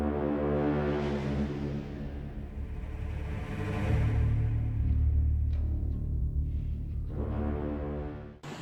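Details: Dark, tense soundtrack music with deep drum-like rumbles and swelling tones, with no animal sounds.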